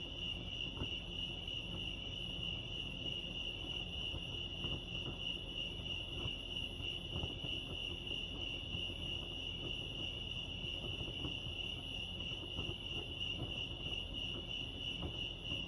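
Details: At Lake Arrowhead in California, crickets keep up an unbroken high-pitched chirping drone at a constant tone, with low-frequency rumble and occasional soft ticks underneath.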